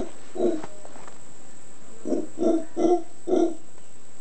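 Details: Howler monkeys on Volcán Concepción, Ometepe Island, Nicaragua: a single hoarse grunt, a pause of more than a second, then four guttural grunts in quick succession, evenly spaced about half a second apart.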